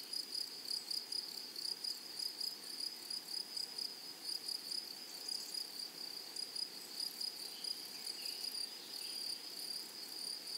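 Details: In a flowering prairie meadow, grasshoppers make pulsing high buzzes in quick repeated bursts that fade and return, layered over a persistent shrill hum, with soft scattered chirps nearby.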